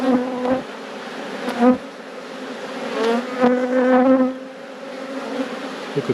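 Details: A honey bee colony hums steadily in an apiary during a hive inspection. The low, even drone has a brighter overtone, swells briefly near the middle, and comes with only a few faint knocks and handling sounds.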